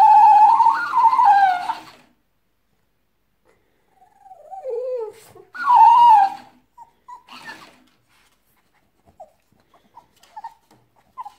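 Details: French Bulldog named Pepsi, indoors, answering back at a talking hamster toy: two long, loud whiny wails rising and falling, separated by softer wavering moans and a few faint short squeaks near the end.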